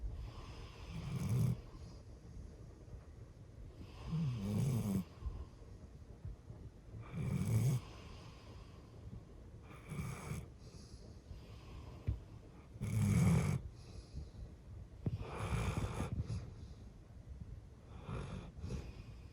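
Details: Sleeping indoors, Hatch, an eleven-year-old female golden retriever, gives seven deep, throaty snores spaced roughly three seconds apart. Each is a low rumble with a breathy, hissing edge, and quiet breathing falls between them. No music plays.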